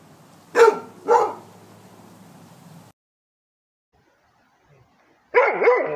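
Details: Rhodesian Ridgeback barking when told to bark: two quick loud barks half a second apart, a pause of silence, then a third louder, slightly drawn-out bark at the end.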